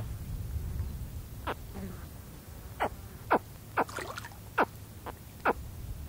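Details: Baby spectacled caiman giving close contact calls: seven short, sharp, downward-sweeping chirps spaced about half a second to a second apart, the first isolated and the rest in a loose series, over a faint background of wind.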